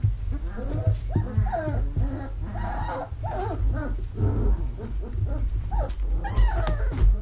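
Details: Vizsla puppies in a whelping box in early October 2020, while the box is cleaned and vacuumed, give a continuous chorus of squealing, whining whimpers over a loud low vacuum-cleaner roar.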